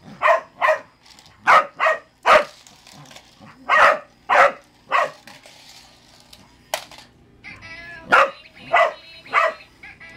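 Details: A Cardigan Welsh Corgi barks in sharp, repeated bursts, often in quick pairs, while playing with a sound-activated toy that gets louder the more it barks.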